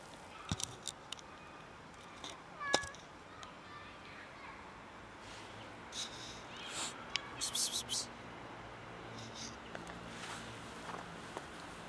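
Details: Skinny, starving cat asking for food with several brief, clipped meows scattered through the recording, partly masked by repeated human 'psst' hisses, clicks and footstep-like knocks.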